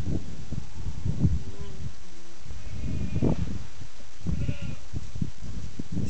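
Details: Fainting goats, mothers with their new baby kids on the kids' first day outside, bleat in short, wavering bursts with several calls overlapping as the kids run and jump and the mothers struggle to keep track of them.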